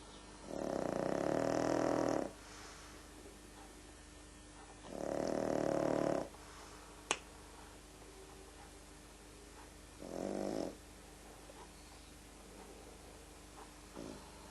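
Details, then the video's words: Sleeping pug named Frank snores in a series of three harsh, rattling breaths, each about one to two seconds long and coming every four to five seconds, with a single sharp click between the second and third. "Frank, the snoring pug"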